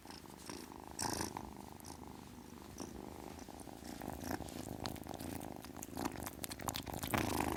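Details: Continuous low, fast-pulsed purring from a kitten, fairly even throughout, with an airy burst near the start and scattered faint clicks.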